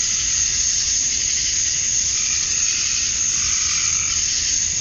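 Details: Summer-dusk chorus of cicadas in Georgia, USA, where the males chirp to attract females. A constant, shrill buzzing wall of sound stays even throughout, with a slight swell near the end.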